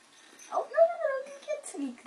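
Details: A Bengal kitten, one of four young littermates at play, gives a single drawn-out high mew that wavers and slowly falls before fading, with a brief human voice at the end.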